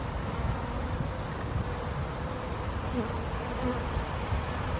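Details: Western honey bees (Apis mellifera, tentatively identified) drinking water from a stone bowl on a hot summer day in June 2021 in Helsinki, Finland, make a steady, low, droning wing buzz of many bees together.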